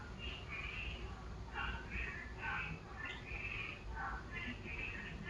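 A frog gives short, nasal, slightly warbling calls, repeated in quick uneven bursts over a low rumble.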